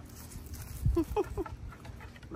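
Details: Alaskan Malamute feasting on pumpkin cupcakes, giving a short series of three rising, talkative woo-like calls at mid pitch, with a woman speaking warmly nearby about dinner and cleaning the table.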